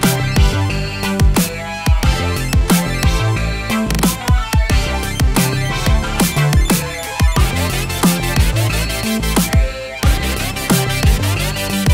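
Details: Loud electronic drum-and-bass music with heavy bass and sharp, repeated drum hits plays throughout, with no animal voices.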